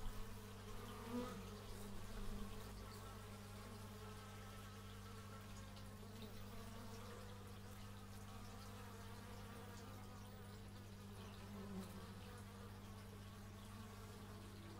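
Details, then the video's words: Bees buzzing outdoors, recorded in stereo with an x/y microphone: wavering droning tones that shift in pitch as insects move about, over a steady low hum, with a couple of louder swells near the start. "Bee movie but its just bees"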